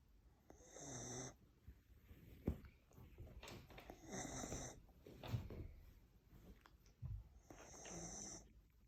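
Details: Whippet asleep indoors, snoring in three wheezy, nasal breaths about three to four seconds apart, each with a whistling high edge, plus soft rustles and a sharp tap between snores.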